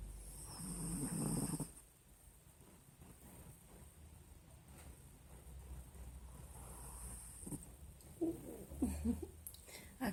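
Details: Sleeping pinscher called Nina snoring: a raspy low snore in the first two seconds, then quiet breathing and a few soft snorts and shuffles later, with faint background hum.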